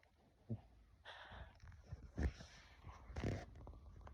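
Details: A sleeping dog snores in soft, rasping breaths, with noisy rattling bursts about a second apart and low snorting rumbles between them in a quiet room.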